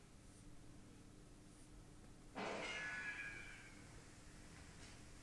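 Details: Spooky, a Bengal cat, confronting the neighbour's Persian cat through glass; a sudden breathy hiss flows into a strained, tonal yowl lasting about a second, then quiet indoor hum.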